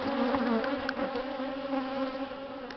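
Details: Bees from an angry swarm hum around a hive after two days shut in a swarm box, expected to leave soon. A dense, continuous low drone with slight wavering and a few faint clicks.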